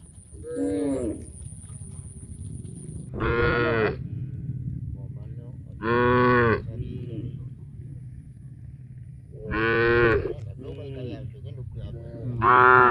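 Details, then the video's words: Large herd of tame cows walking toward a green grass field to eat, lowing repeatedly: five loud harmonic moos about a second long, spaced every two to three seconds, over a low rumbling background of the moving herd. "lots of funny cow sounds"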